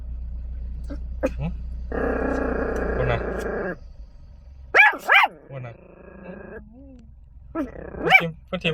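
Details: Small Chihuahua defending its car: soft clicks, then a harsh steady growl near two seconds long, followed by two quick high barks, a lower wavering grumble, and more scattered yaps toward the end.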